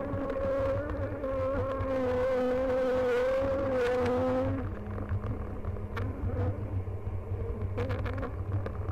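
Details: Buzzing honey bees during a summer hive inspection on "The Mountain", 22/6/29; a loud steady hum for about four seconds as a bee hovers near, then fading to softer, lower droning.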